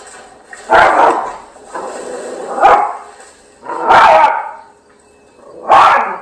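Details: Yorkshire Terrier barking excitedly at a charging bull elephant shown on TV; four loud, harsh barks spaced roughly a second or more apart, with quieter noise between them.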